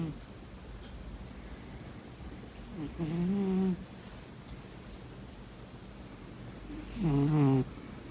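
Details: Sleeping cat snoring indoors: two rasping, low nasal snores about four seconds apart, each lasting under a second with a rising buzzy tone, quiet breathing between.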